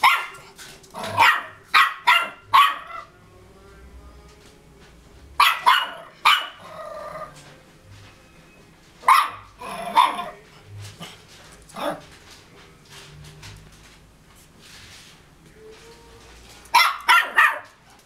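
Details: A brave 2½-month-old Cairn Terrier puppy gives high, yappy barks in quick bursts of two to four.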